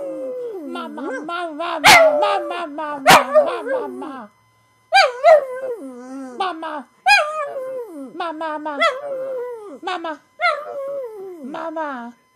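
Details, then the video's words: A male pug howls for his owner in drawn-out, wavering cries that slide downward, broken by brief pauses. "Romeo the pug Howling"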